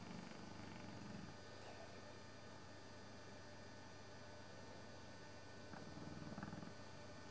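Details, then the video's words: Sleeping English Bullmastiff named Sabre, dozing one Sunday afternoon with flapping jowls, snores in low rasping bursts at the start and again near the end, separated by a quieter breathing stretch under constant hum. "Sabre the Snoring Bullmastiff"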